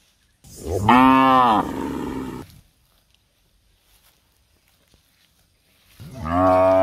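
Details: Cows nursing their young in a palm oil plantation; one long, loud, harmonic-rich moo that swells and then fades, a silent gap of about three seconds, then a second moo begins.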